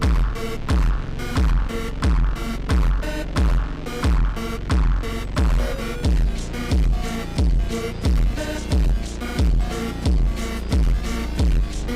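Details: Loud electronic music with a heavy, regular throbbing beat, and no animal sound audible.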